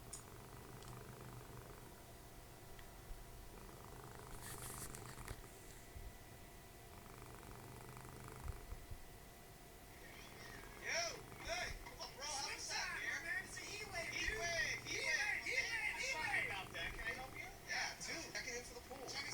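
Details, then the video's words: Dessie, a cuddly domestic cat and mother of Fritjof, snoring while cuddling indoors during TV time. Soft, low, rhythmic breaths repeat steadily through the first half, then television dialogue from It's Always Sunny in Philadelphia rises and largely covers them. "Snoring machine, cuddly cat"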